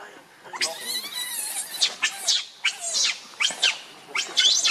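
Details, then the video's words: Rainbow the monkey, enraged and guarding Lucie against Kachoy, gives piercing high screeches, some with a falling tone, in rapid bursts about every half second to second. "Rainbow Very Angry To Protect Lucie From Kachoy"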